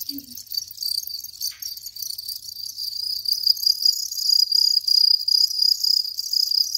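A house cricket's high, shrill chirping pulses on steadily, with a soft thump at the very start.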